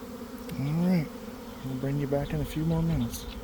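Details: Honey bees swarming from a hive around one o'clock, recorded while standing inside the swarm: several loud, close buzzes from bees darting past, each swelling then dropping in pitch, over a background drone.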